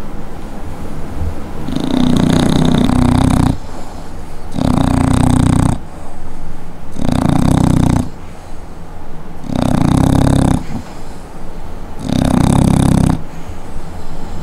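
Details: Pocket American Bully dog snoring indoors, described as extremely loud: long, deep, rattling snores in five broad bursts, each lasting about one and a half seconds with short pauses between, rough and raspy throughout.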